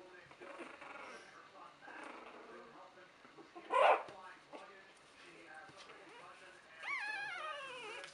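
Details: Buttercup's puppies at three weeks old whimper and squeak softly, with a loud bump near the middle and a wavering high whine toward the end; quiet indoor background.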